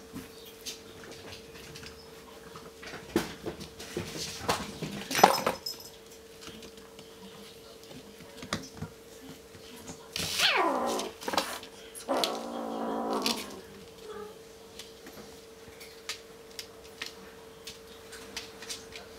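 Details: Male Bengal kitten playing with a pink sparkly ball indoors: a steeply falling meow-like cry, then a steady harmonic whine lasting about a second, among scattered taps and rattles of the ball over a constant low hum.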